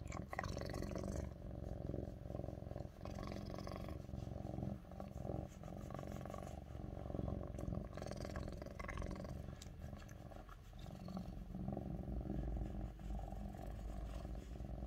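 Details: A Lynx point (Tabby point) Siamese cat purrs loudly and steadily on a person's lap while she works, a deep rumbling hum that carries on without a break.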